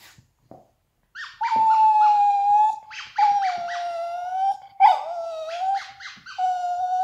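A Yorkshire terrier gives drawn-out, high, wavering howls, each held a second or more.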